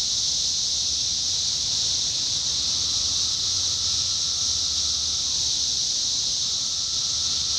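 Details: 17-year cicadas in Indiana, summer 2021: a dense, unbroken high buzzing hiss from many insects, with a fainter sustained lower whine that drops in pitch near the end before resuming.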